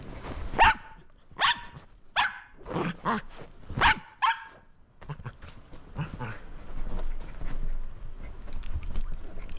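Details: A Shetland Sheepdog called Roco, at play with a lint roller, gives six loud, sharp barks over the first four seconds. After that come rustling and handling noise with only faint, scattered sounds.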